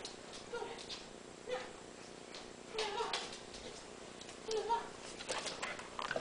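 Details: An 11-week-old Clumber Spaniel puppy gives short, thin, high whimpers, four brief whines spread over six seconds, among soft clattering and shuffling sounds indoors.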